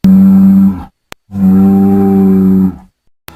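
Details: Bull bellowing in a pasture: two loud, steady, deep tonal moos, the first short and the second held for about a second and a half.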